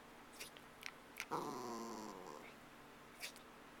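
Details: Mindy, a pet dog missing someone absent, indoors: a drawn-out harmonic whine of about one second, wavering then sliding downward, amid faint clicks and rustles in a small room.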